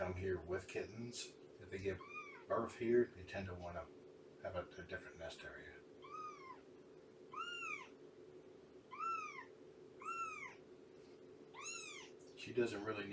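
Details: Morning meowing from Shelby, an abandoned mother cat of about two years taken in by Purrfect Pals: human talking at first, then a run of six rising-falling meows about one per second, with more speech at the end.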